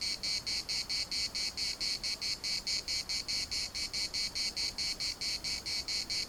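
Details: Municipal park in Larnaca filled with cicada song: strident high-pitched buzzing chopped into rapid, evenly spaced throbs, continuous throughout, with only faint low background noise.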